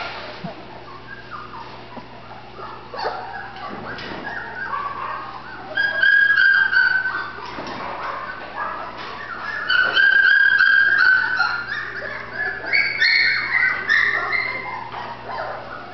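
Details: A female Golden Retriever puppy from Terrell, Texas: quiet at first, then bursts of shrill, drawn-out whining and quick yelps that rise and fall, repeated in clusters toward the end.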